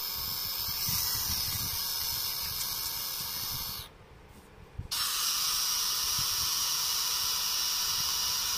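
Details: Pet pacman frog, described as very noisy but very cute, giving a long, harsh, airy hiss that runs almost unbroken, falls silent for about a second midway, then resumes just as loud to the end.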